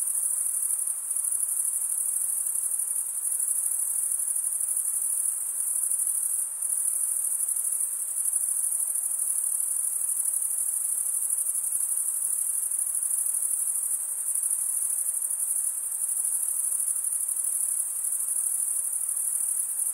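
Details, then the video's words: Crickets stridulating in an even, high-pitched chorus that sustains a sizzling trill throughout, with only slight flickers in loudness and no other sounds. "cricket sound"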